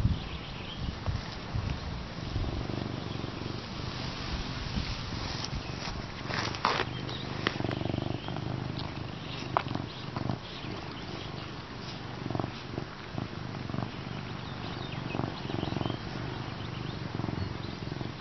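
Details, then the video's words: A male serval purrs with satisfaction while getting attention from his human friend, a steady, deep continuous rumble with a soft pulsing rhythm. "Adorable serval loves his human friend"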